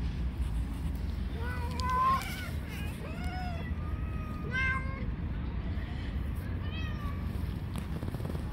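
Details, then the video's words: Stray cats in a street fight, one aggressive cat attacking others; a run of short arching meows and a held level note, spaced every second or so, with low background rumble. "Cat with Psychological Problems Attacks and fights with other cats."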